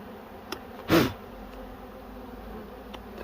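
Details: Low, even humming of bees around a nest being harvested for honey in a cashew orchard, with one loud thump near the start and faint taps later.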